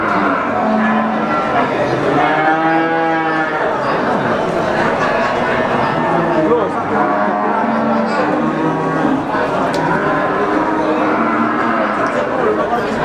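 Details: Brahman brood cows lowing at the Sragen cattle market in Sumberlawang during 2018. A chorus of deep, harmonic moos that swell and bend in pitch, many cows calling at once, amid continuous human chatter and bustle.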